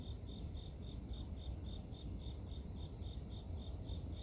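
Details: Steady high-pitched insect chirps from grass insects, evenly spaced at roughly three or four per second, sit above a dense low-frequency hum in this relaxing nature sound.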